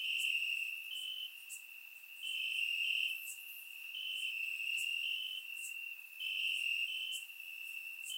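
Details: Crickets chirping through a warm summer night in Bulgaria, heard in grass: dense high trills rising and dipping in loudness over several seconds, with crisp pulsed chirps layered about four per second.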